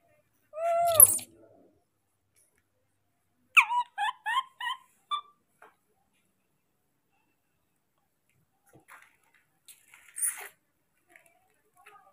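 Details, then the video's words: A baby monkey keeps calling for its father to come with food, giving one drawn-out descending squeal, then a quick run of five short, bright chirps, followed by near silence and a faint scratchy noise. "The original sound of a baby monkey, does not stop calling for the arrival of his father with food"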